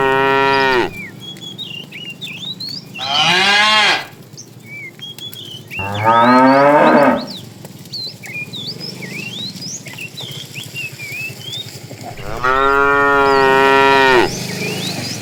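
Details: Afternoon herding of tame cows, with a fat cow calling the female: four loud, drawn-out harmonic moos spaced a few seconds apart, the last lasting about two seconds, while small birds chirp steadily behind.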